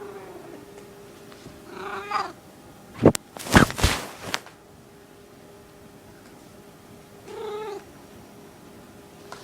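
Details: Skittle, a small female house cat in heat, gives two soft harmonic mews several seconds apart, separated by a burst of loud clattering handling noise, over a constant background hum.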